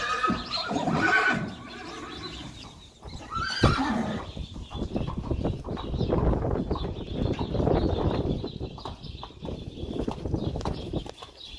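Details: Friesian horse from a herd, recorded February 29, 2020 during harnessing and driving. A loud, quavering whinny fills the first two seconds, and a shorter neigh follows near four seconds. Steady clip-clopping hoofbeats and rattling continue afterwards.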